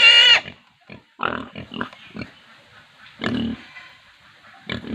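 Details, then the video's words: An Indian farm pig opens with one sharp, high squeal, followed by quieter, lower grunting snorts at irregular intervals and a louder grunt-squeal near the middle. "sound of pigs squealing | pig squealing sound effect"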